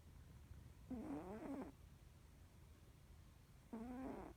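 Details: Deeply sleeping Norwegian Forest Cat gives two short harmonic snores nearly three seconds apart, each a wavering nasal rasp lasting under a second, in a quiet room.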